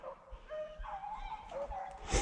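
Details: Beagles on a South Carolina rabbit hunt on 22 February 2020 bay on a cottontail's trail, with drawn-out musical howling barks overlapping as the pack runs it out of cover.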